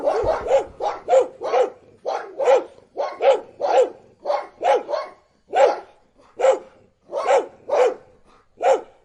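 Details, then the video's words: Dogs bark loudly and repeatedly, around fifteen harsh, punchy barks in quick irregular bursts, several overlapping as if more than one dog calls, with nothing else audible. "DOGS BARKING And Sound Effects HD . Happy, Angry and Loudly"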